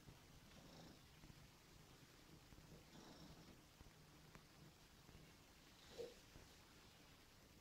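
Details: Fawn Somali cat being cuddled, giving a continuous low purr with faint breathy rhythm, a small click near the end, otherwise a quiet indoor setting.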